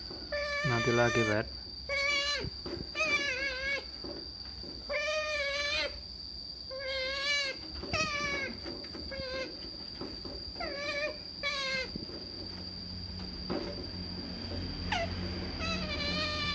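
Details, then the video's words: Pet otter excited about a salmon treat while eating, giving a long series of high, wavering squeaky calls in short bursts about every second, with a woman speaking Indonesian between calls and a steady electrical hum. "Otters Making Strange Noises"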